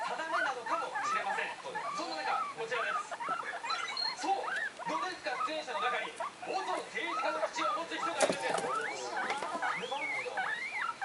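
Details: Three excited pet guinea pigs at home, the two one-month-old youngsters calling high, make a dense run of squeaky arched calls, many rising and falling quickly over steady chatter from a television in the background.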